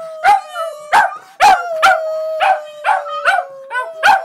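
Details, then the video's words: Pet Border Terriers joining their owner in song, a continuous drawn-out howl overlaid by a steady series of loud, abrupt yelps, about one every half second, some ending in short rising whines. "Border Terriers Howling"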